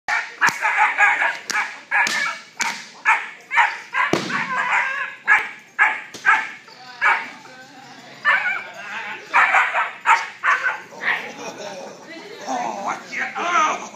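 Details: Solid black German Shepherd puppy during early training, giving a run of short, sharp harmonic barks in quick succession, roughly one or two per second, with a person's voice mixed in throughout.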